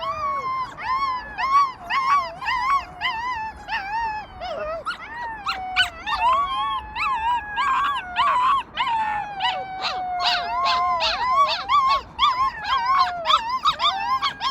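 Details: Rescued wolf pups howling together: overlapping wavering tones that slide and rise, with many short yipping notes stacked above, forming a dense chorus that persists throughout.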